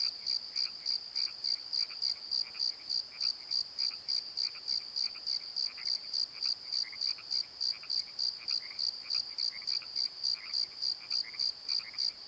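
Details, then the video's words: Crickets singing after dark in a valley bottom at Pozo, high rhythmic chirps at about three per second over a steady scatter of lower croaks from frogs throughout. "Crickets and Croaks! Pozo Night Tree"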